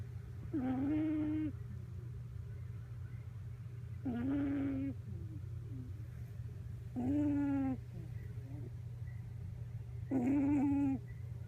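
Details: Miniature Pinscher puppy asleep on a lap after playing wildly, face buried so its nose is pressed, filmed December 8: four moaning, nasal whine-like notes with a buzzy tone, about every three seconds, over a steady low hum.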